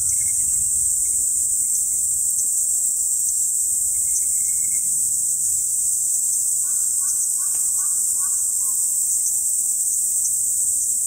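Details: Kaempfer cicada singing close by, right in front of the recorder: an unbroken, shrill, high-pitched buzz held at an even level throughout, with a few faint, brief chirps and clicks in the background.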